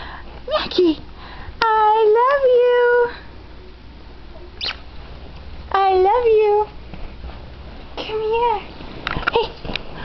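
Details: Pet dog practising "I love you" sounds: a few spaced-out warbling whines, each rising then falling, with quiet room noise between the phrases.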